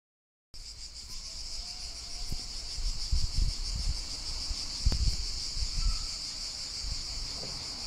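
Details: Cicadas singing in the countryside in summer: a steady, continuous high shrill drone that never pauses, with low rumbling thumps and handling noise underneath.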